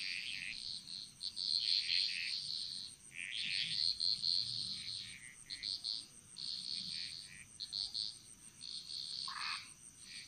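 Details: Jungle frog chorus from Bali, Indonesia, with bright high trilling croaks in clustered bursts separated by brief pauses, one lower call near the end, over a constant thin high hum.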